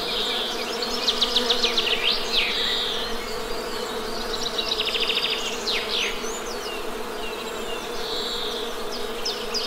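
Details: Steady drone of honey bees, a constant low hum with harmonics, overlaid by bursts of birdsong made of rapid trills and sharp downward sweeps every few seconds.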